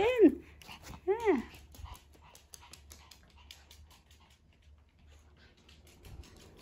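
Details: Two male dogs, a Pomeranian and a maltipoo, running with morning zoomies; two high, arched yelping whines about a second apart open the sequence, then quieter rustling, soft breathing and faint human voices.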